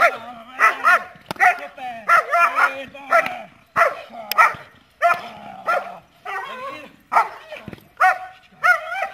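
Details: Ambra, a dog performing a hold-and-bark command, gives repeated sharp barks in clusters of two or three, roughly every second, while a handler speaks and praises between them.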